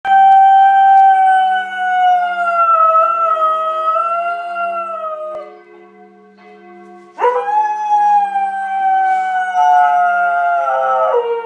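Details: George, a Border Collie who sings along to church bells twice daily at 12:00 and 18:00, gives long wavering howls with rich harmonics. The howling breaks off briefly, then resumes with a sharp rising onset over steady, ringing bell tones.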